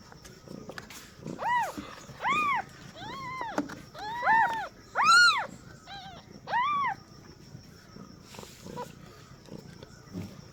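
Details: First cries of newborn kittens at birth, with the mother a first-time queen: a busy run of short, rising-falling mews from several overlapping kittens over about five seconds, then quieter rustling and faint voices.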